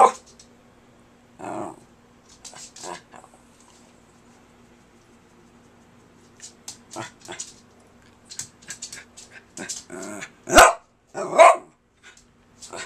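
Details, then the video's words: Kirby, a pet dog refusing to give up on talking to his owner, makes scattered short grumbles and soft whines, ending in a few louder sharp barks, with quiet pauses between. "Kirby the Wonder Dog Talks to Me"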